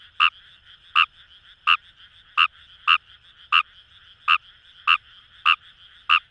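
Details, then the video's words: Wild Kawamura's rice frog in rice paddies at Itoshima, Fukuoka Prefecture, Japan, giving evenly spaced, clipped croaks roughly every two-thirds of a second, ten in a row, with a soft background frog chorus. "Wild Frog Call | ヌマガエル"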